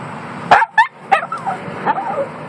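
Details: One-year-old female Yorkshire Terrier screaming while riding in a car: sharp yelps followed by wavering, bending whines, about five cries in quick succession, with people in the car urging help.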